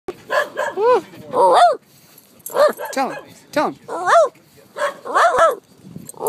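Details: Terrier mix dog at Eureka Valley dog park, playing catch; a run of loud, arched yipping barks in quick bursts, several close together, with short quiet gaps between groups.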